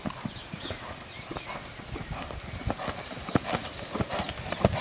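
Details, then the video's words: Galloping purebred Lusitano stallion on a stud farm, hooves thudding in an uneven beat, with chirping birds whistling high above and faint speech and music in the background. "Galope Cavalos puro sangue Lusitanos"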